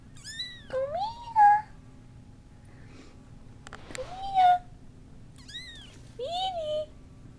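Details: Kittens and cats meowing indoors. Thin, high-pitched rising-then-falling calls alternate with lower, drawn-out meows, about five calls over seven seconds. Quiet gaps separate them, with faint human voices and a low steady hum.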